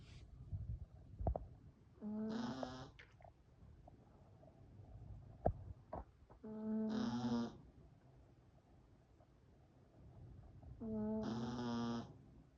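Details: Sleeping Yorkshire Terrier puppy gives three buzzy, harmonic snores roughly every four to five seconds, each closing with a soft airy rasp; faint clicks and small knocks sound between breaths in a quiet indoor room.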